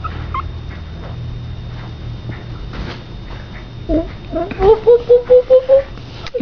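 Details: Pomeranian puppies, Keisha and Honeybear, playing by a couch with their mother Honey indoors; a series of short, high whimpers repeated rapidly near the end, after a quiet stretch with faint soft yelps and a woman coaxing them.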